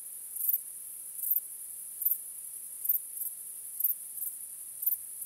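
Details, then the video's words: Nocturnal crickets produce an unbroken shrill whine at the top of the range, punctuated by louder chirps spaced about half a second to a second apart, often in pairs; nothing else audible. "Cykanie Świerszczy 🦗 Gwieździstą Nocą 🌙 {Night Crickets Sound}"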